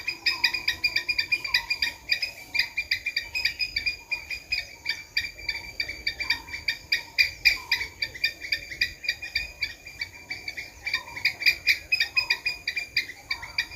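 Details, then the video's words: Squirrel giving a long run of sharp, clicky chatter notes, steady and rapid, with soft short whistles from another caller underneath. "Squirrel sound"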